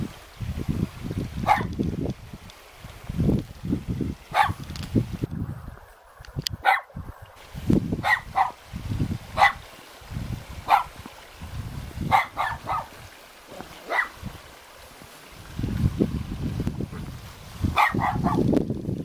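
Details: Two dogs guard a house in the mountains near Jeonju, Korea, barking repeatedly over nearly twenty seconds. The barks are short, crisp and come in irregular bursts, over a steady low rumble of wind or running water.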